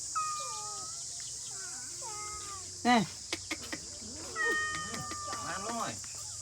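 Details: Domestic cats meowing amid a squabble, with short bent meows, a sharp loud yowl near three seconds, clicks and a run of wavering cries, over constant high hiss and Khmer speech.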